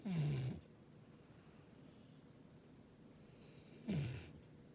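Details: Gigi, a male rescued Labrador-Schnauzer dog, snoring like Darth Vader: two loud rasping snores with a falling tone, about 3.5 seconds apart, separated by quiet breathing indoors.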